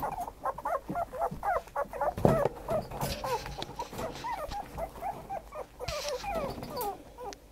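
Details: Continuous chorus of high, wavering whines and squeaky whimpers from a black-and-tan dog, overlapping calls bending up and down with barely a pause, plus a brief knock partway through.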